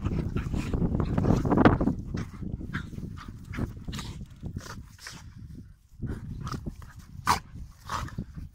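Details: Playful dogs wrestling: a loud stretch of deep growling and snarling at the start, then quieter scuffles broken by short sharp yaps and snaps, several spaced bursts near the end.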